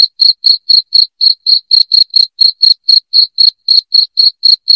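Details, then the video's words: Cricket giving sharp, clean chirps at a rapid steady rate of roughly four per second, bright and high-pitched with a thin upper overtone, played loud as a rat repellent; nothing else audible. "SUARA JANGKRIK NYARING PENGUSIR TIKUS"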